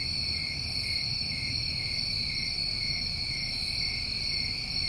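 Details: Crickets on a New England summer evening, a dense chorus of steady unbroken trilling with bright bands at several high pitches, continuous throughout, over a soft low rumble of background noise.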